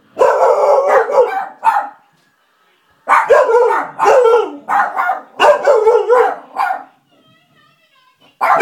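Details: Misha and Milo, two pet dogs, bark at nothing in long, tonal, yodelling bursts. Several sustained barks run together in groups of one to two seconds, separated by short pauses.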